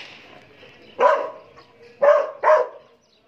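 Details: Black Belgian Malinois named Raven Rock barking aggressively: three loud, harsh barks, the first alone and the last two in quick succession about half a second apart, over a faint background murmur.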